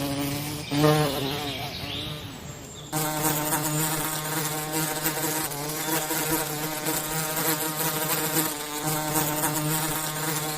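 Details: Forest bees making honey give a dense buzzing hum. Its pitch wavers and swells over the first seconds, then it settles into a louder, steady, overtone-rich drone that carries on to the end.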